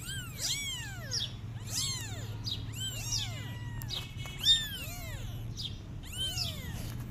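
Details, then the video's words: Kittens meowing and crying to call their mother cat as she runs away; clear, shrill arched meows in quick succession, sometimes overlapping, about one to two per second, with a faint low hum behind. "Cute Kittens Meowing And Crying Calling Their Mother Cat But She Is Running Away From Them"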